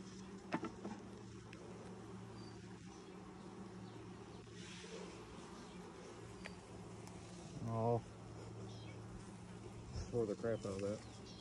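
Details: Honey bees at a hive during its first inspection in 2020, six days after the nucs were installed; a steady low drone hums throughout, with brief voice-like bursts near the eighth and tenth seconds and scattered clicks.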